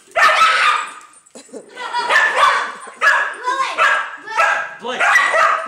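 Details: Pet Dachshund bitch protecting her nest from a neighbour's dog, furious. Gruff, strained barks and snarls arrive in quick bursts after a short pause, mixed with household speech.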